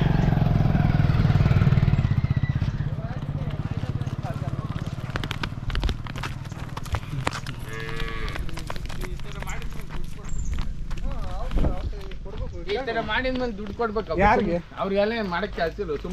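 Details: Five-month-old Hallikar calf at play, giving a deep, low drawn-out moo for about two seconds at the start, followed by clicking and rustling noises and then human voices talking over the rest.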